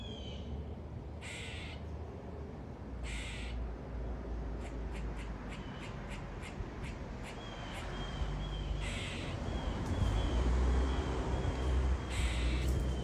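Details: Whiskers, a squirrel that jumped up indoors and cannot get down, barking incessantly: short harsh 'quaaa' bursts every second or two, with rapid clicking chatter between them over a steady hiss of background noise.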